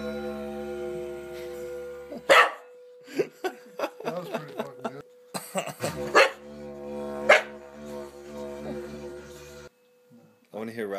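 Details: Dog frightened by a didgeridoo and freaking out, giving a few sudden sharp barks and yelps over the instrument's steady low drone, while people laugh and talk nearby.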